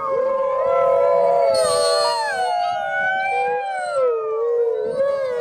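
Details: At Wolf Park on a rainy Saturday night, gray wolves Kanti, Bicho and Fiona answer visitors' howls in a chorus of long, overlapping sliding tones, with high yipping from nearby coyotes.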